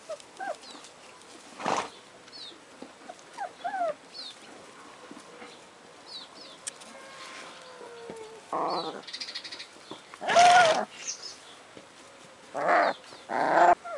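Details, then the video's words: Four-week-old Alaskan Malamute puppies from a kennel litter: scattered thin, high squeaky whimpers with short rising and falling slides, broken by several louder, harsh, noisy yelps or barks of about half a second, spaced irregularly. "Alaskan Malamute Puppies - 4 weeks old"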